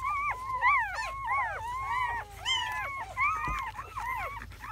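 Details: Hours-old German Shepherd puppies from a litter of seven born May 7 to 8, 2017. Clear arched squeals repeat roughly every half second, one pup's cries standing out over fainter whimpers from its littermates.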